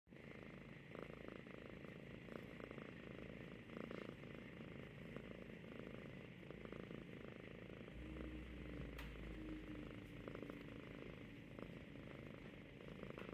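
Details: Pet cat in Ashland, Oregon, falling asleep while hugging and cuddling its owner's arm indoors; soft, continuous low purring rumble, quiet and steady, with faint handling rustles and light background hum.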